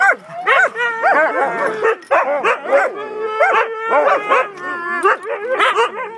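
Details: Several Siberian Huskies talking at once, a continuous mix of wavering howls, yips and drawn-out moaning calls that rise and bend in pitch, voices overlapping throughout.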